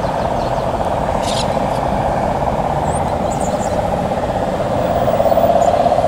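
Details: Cane toad (Rhinella marina) at Palm Beach, Aruba, on 19 November 2017: an unbroken, droning low trill that holds steady throughout, with a few faint high chirps over it.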